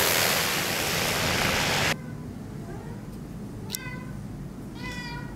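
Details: Big Maine Coon cat indoors at Halloween, giving two short harmonic meows about a second apart after a loud broadband noise that cuts off abruptly near the start; quiet room hiss underneath.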